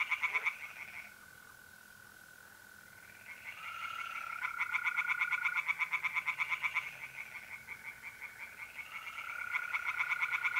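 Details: Tree frogs in a pond on an April night in North-East Italy give long bouts of quick, regular rattling pulses after a quieter pause, set against the continuous, even-pitched trill of mole crickets.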